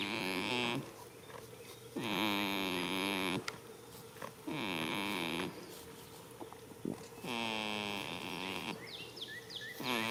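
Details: A sleeping goat in a field, first day of spring, snores in nasal, vibrating groans that last about a second each and come roughly every two and a half seconds; small birds twitter in the background.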